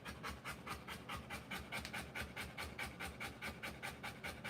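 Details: Rapid, evenly spaced breathy panting from a Rottweiler giving birth to puppies, each pant a short airy burst, about two and a half per second, with no other clear sounds.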